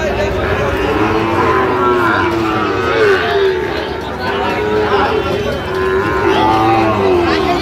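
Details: Sahiwal bull calves at a Dhaka cattle market on 3 October 2025, lowing with drawn-out, wavering moos that overlap almost continuously, under steady crowd murmur, voices and market bustle.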